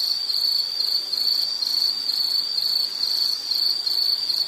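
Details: Continuous shrill insect call, a high, evenly pulsing trill sustained without a break across the whole stretch, heard as a relaxing nature background.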